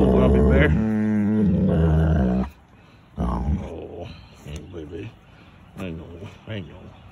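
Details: Wolfdog at play, mouthing and snarling as harmless communication: a low rumbling growl held for about two and a half seconds, then breaking off into a person's coaxing speech with a few softer noises.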